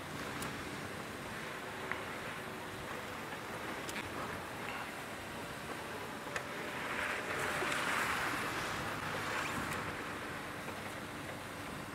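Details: Steady broadband rumble of wind and water with faint clicks, and no animal voices. The noise swells slightly near the end, but no calls or songs stand out.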